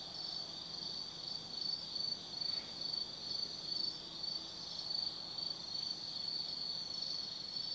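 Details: Autumn insects singing at night in the forest of Tsukimi no Mori, Kaizu, Gifu Prefecture, Japan, near a lookout 180 m above the Nobi Plain; a high steady trill swelling in pulses about twice per second, with a faint lower buzz.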